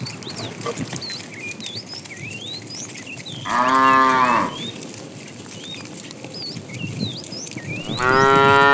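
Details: Morning herding of tame cows running to a green pasture; amid steady chirping of small birds, a loud rich moo sounds for about a second, followed several seconds later by another moo beginning at the close.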